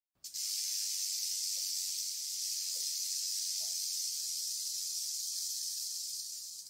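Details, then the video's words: Rattlesnake buzzing its tail rattle as a warning against being trampled by large hooved animals such as bison and elk; a steady, dense, hissing buzz held without a break for about six seconds. "What's this BUZZ all about | Rattlesnake"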